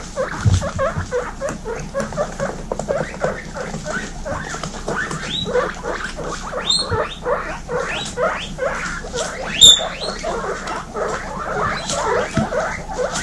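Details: Young female guinea pigs in a crowded pen wheeking almost continuously, dense chorus of short rising squeaky whistles repeated several times per second, a few sharper high wheeks standing out over soft background rustle.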